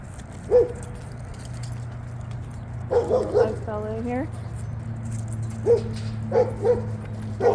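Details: Red Labrador Retriever female playing with a ball on a frozen ice field at a dog park in cold weather; a few short, sharp barks spaced several seconds apart, with a person speaking briefly in between.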